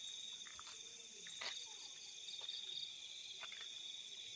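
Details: Crickets in nighttime fields give a dense, unbroken shrill buzz, with a few faint pulsed chirps mixed in and a soft click near the middle.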